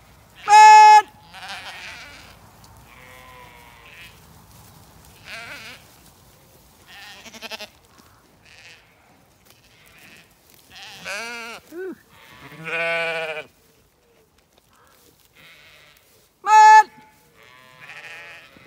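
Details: A Zwartbles flock on a County Kilkenny farm in Ireland is moved into fresh pasture. Scattered bleats, loud clear ones near the start and end, with quavering, trembling bleats and softer distant calls in between.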